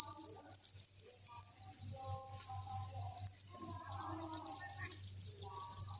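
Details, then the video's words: Chirping crickets by the thousands inside a cricket breeding facility make a constant high, sizzling trill. The dense wall of sound holds even from start to end. "Cricket Chirping Sound"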